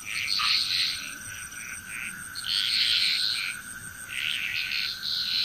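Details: Frogs calling together in Bali, Indonesia, their bright rattling croaks swelling in clusters roughly every two seconds over a constant high insect drone and a steady lower tone.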